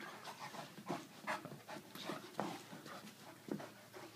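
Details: Irish Wolfhound playing with an Aussie-Doodle puppy, indoors: quick breathy panting puffs in irregular bursts roughly once a second, mixed with soft scuffling and the odd faint whimper.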